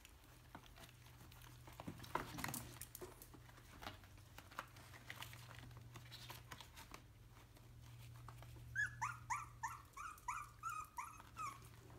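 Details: A three-week-old Yorkshire terrier puppy gives a quick run of high, thin yips over a low hum and scattered rustling.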